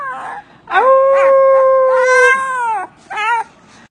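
Short yips lead into a Siberian Husky's sustained, even howl, held for over a second before falling away. A shorter, wobbling vocal burst follows, the chatty sort of sound huskies are known for.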